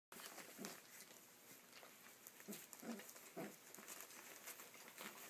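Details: Corgi puppies 26 days old give short, scattered grunts and squeaky yips as they play.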